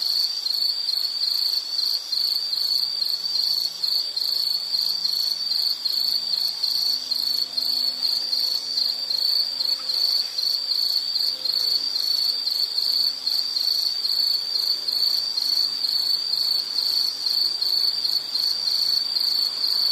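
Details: Continuous high insect trill, rapidly pulsed and even, with faint low drawn-out tones drifting underneath in the background.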